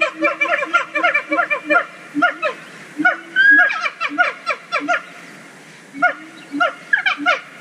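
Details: Siamang gibbons, an endangered species, sing at Zoo Dortmund. Rapid series of harmonic barking notes repeat several times a second, with a brief rising whooped slide midway. Low hooting notes run underneath.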